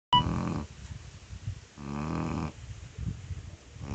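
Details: Five-month-old chocolate Labrador puppy named Jani snoring while asleep: a short burst at the start, then slow rasping breaths with broad harmonic-rich snores spaced about two seconds apart, quieter breathing between them.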